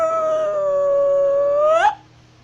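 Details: Wolf from North Eurasia howling while walking: a level, sustained note that bends sharply upward into a brief cracked peak before stopping abruptly, followed by quiet.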